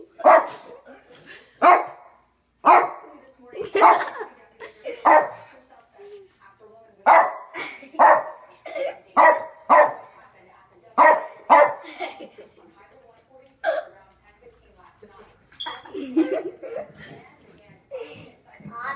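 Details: Small dog indoors, drinking water, barking at a kitten that paws and scratches at its tail; sharp, harmonic barks in rapid bursts, about a dozen over the first thirteen seconds, followed by quieter, irregular mixed sounds near the end.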